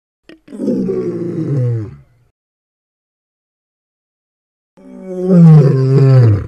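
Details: Lion roars, two drawn-out guttural bursts: a first roar falling in pitch over about a second and a half, then silence, then a louder, harsher second roar with a rich buzzing tone ending the recording.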